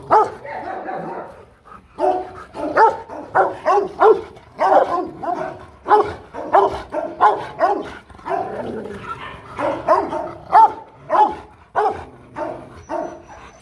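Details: Rottweiler barking aggressively to threaten another dog: loud, deep, forceful barks in irregular bursts, roughly one and a half per second, each broad and harsh, with short pauses between volleys and no other clear sounds.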